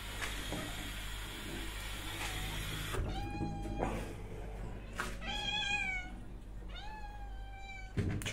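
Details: Domestic cat meowing repeatedly: after about three seconds of steady broadband noise come roughly five drawn-out, harmonic meows, each rising then gently falling, a second or so apart, with a sharp knock at the very end.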